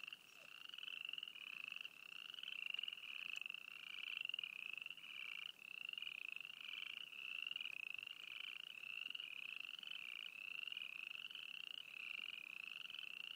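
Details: Many frogs croaking at Froggy Flats, East Glacier, Montana: an unbroken stream of bright pulsed trills that rise a little and overlap, with the loudness swelling and dipping as individual callers join in.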